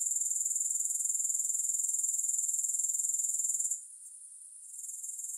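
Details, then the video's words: A high, fast-pulsing grasshopper trill holds steady for nearly four seconds, then drops away suddenly to a faint, thin hiss before a quieter trill resumes near the end. No music. "Grass Hopper Sounds"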